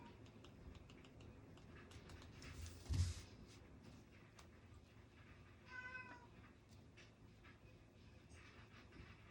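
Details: Domestic cat crying indoors during a quiet study session on 16 July 2025; one short harmonic meow near the six-second mark amid soft tapping and writing noises and a single sharp knock.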